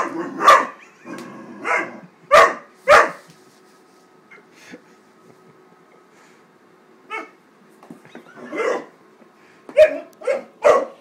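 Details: Wallace, a Great Dane puppy of 13 weeks, barks at a paper bag he is attacking: four sharp barks, a quiet stretch with faint sounds, then another quick burst of barks.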